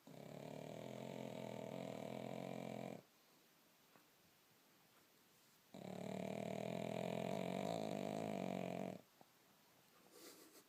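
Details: Sleeping pug named Bonya snoring heavily indoors, like a man. Two long, loud, buzzing snores of about three seconds each, separated by quiet silence of nearly three seconds.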